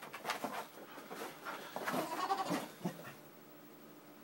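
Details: Pet Springer Spaniel worked up by an Xbox disc tray opening and closing by wireless controller: a burst of high, wavering whines and yelps with breathy panting over about three seconds, then quiet, ending in a sharp click.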